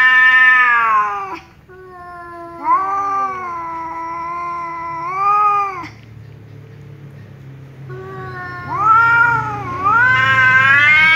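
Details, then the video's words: Loud angry meows from a tom cat answering a ginger cat that keeps meowing; sustained harmonic yowls cut off abruptly, a lower-pitched answer after a pause, then a rising, wavering howl. "angry tom cat meows loudly because ginger cat keeps meowing"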